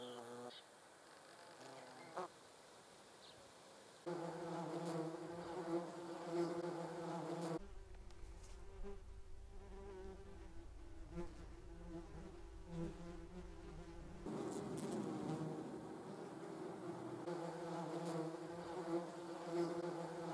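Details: German wasps (Vespula germanica) recorded with a Sony RX10 III; a quiet start, then intermittent droning buzzes of varying pitch from flying wasps, with a rumbling low patch in the middle section.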